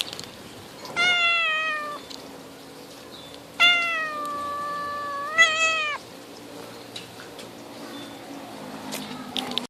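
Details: Cat sitting on a tree branch, friendly until its paws were touched, which aggravated it; three long, harmonic meows, each held a second or more and dropping in pitch at the end, with quiet background between calls.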